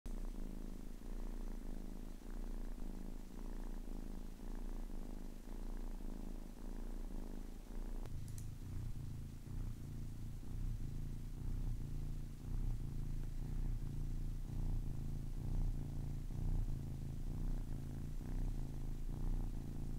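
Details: A 10-week-old kitten purring steadily: a low, rumbling drone with soft harmonic bands, quieter and thinner for the first eight seconds, then louder and fuller, with gentle breathing pulses roughly once a second.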